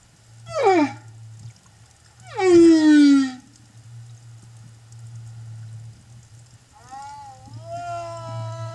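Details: Humpback whale song from an escort traveling with a mother and calf at Silver Bank, Dominican Republic, April 2015: two steeply falling harmonic cries, then a quieter wavering tonal phrase, over a steady low hum.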